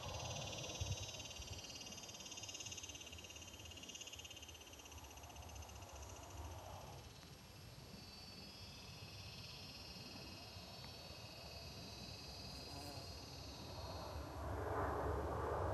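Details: Cicadas in Palm Desert, California, during mating season, males calling to attract mates; a steady metallic high buzz with layered bands runs almost throughout, over a dense low rumble of background noise.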